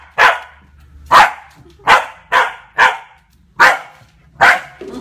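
A Corgi puppy gives sharp, high yapping barks, repeated about every second, in defense of a person.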